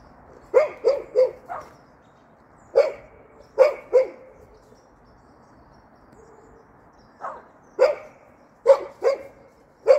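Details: Golden Retriever, described as hopping, giving short sharp barks in irregular bursts of two to four, with pauses between groups; quiet background otherwise.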